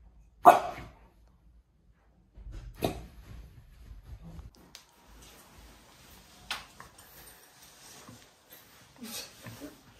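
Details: A French bulldog out on a walk gives one sharp, loud bark, then a softer one, amid low rustling noise.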